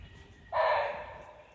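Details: Barking deer giving an alarm call, possibly with a tiger nearby, on a jeep safari in Jim Corbett National Park, Ramnagar, Uttarakhand, India. A single loud, hoarse, dog-like bark lasting about half a second breaks a quiet forest background.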